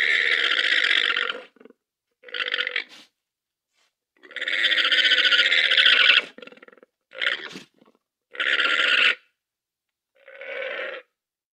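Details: Llama calling in a series of harsh, buzzy, nasal bursts, each lasting from under a second to about two seconds, separated by short silent gaps, with no other sounds heard.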